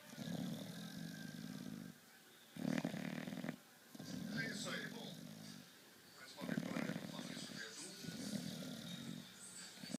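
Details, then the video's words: A sleeping dog named Chico Anísio snores, giving rough, low, rasping breaths in bursts of one to two seconds, separated by short quiet pauses, about four snores across the stretch. "Chico Anísio dog roncando"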